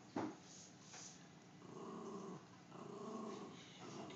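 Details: Teddy, a pet dog said to be afraid of clowns, lets out low rumbling growls indoors in long stretches, with a sharp knock near the start and faint room noise.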